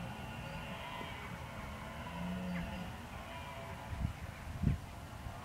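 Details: Red deer bolving in October 2014 while preparing for the rut: a low drawn-out moaning tone, then two short, louder grunting bursts near the end, over steady low background rumble.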